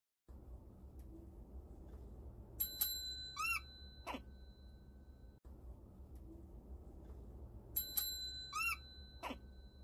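A black-tailed prairie dog gives wavering, warbling calls right after a chiming electronic ringtone.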